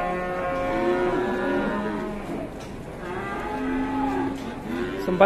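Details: Aggressive cow that buyers are afraid to bid on lows twice in long, rich, harmonic bellows, the second lower and steadier, over a faint hum.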